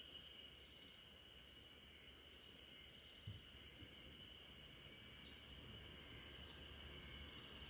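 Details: Quieter spring cicada chorus drifting over a backyard where a Great Pyrenees naps, a thin constant high drone with a single low knock and a few faint chirps above it.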